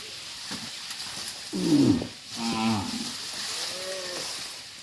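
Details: Herd of tame cattle moving back to the farm pen; two hoarse, mid-pitched moos in close succession, then a fainter drawn-out lowing, against a steady hissing background noise.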